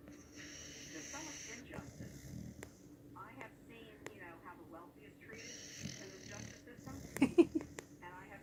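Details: Sleeping dog named King snoring in a quiet room, rough breathy snores roughly every four to five seconds, a voice murmuring in the gaps and a brief sharp knock near the end.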